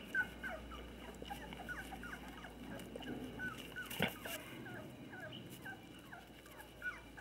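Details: Twenty-day-old female Labrador Retriever puppies at play with their parents in Olivares, Seville, Spain, early in socialisation; thin high squeaks repeat through the recording, with a sharp knock near the middle and soft rustling.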